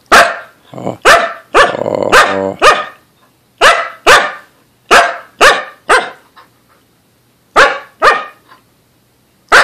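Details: Lexi, a female Samoyed, barking to tell her owners she has to go outside to use the restroom: a dozen sharp, loud barks at uneven intervals, one stretched into a harsh, longer bark-howl near the start.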